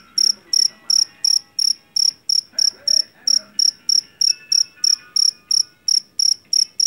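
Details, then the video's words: Shrill chirping of a Javanese field cricket caught in a rice field, bright pulsed bursts about three per second, regular pattern, faint murmuring sounds behind. "SUARA JANGKRIK PENGUSIR TIKUS SUARA ASLI"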